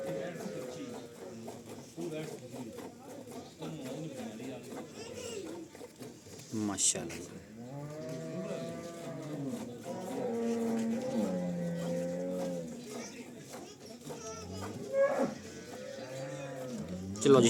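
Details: Cholistani Jersey cross cow offered for sale in Pakistan, March 12, 2025; after several seconds of low murmuring, a series of drawn-out, arching low moos arrives midway, with human voices running underneath throughout.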